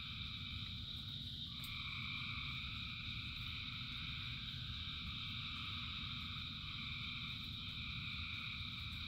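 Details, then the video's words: Rain-soaked frog chorus, thousands singing together as an unbroken layered drone. A brighter tone joins near the two-second mark and persists, all set against a heavy, even rush of rain. "Frogs in Rain 2 Hours of Frogs, Thousands of Frogs Singing"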